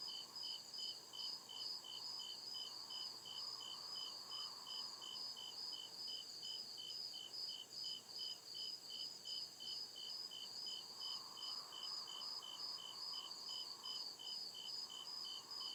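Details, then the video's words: Crickets in a forest at night, persistent high chirps repeating at a steady rate of roughly two or three each second, a shrill continuous pulsing trill above, and a low droning hum that comes and goes. "CRICKET CHIRPING SOUND"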